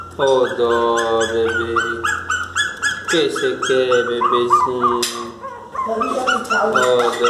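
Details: Miniature Pinscher; whining cries; asking to be let into the house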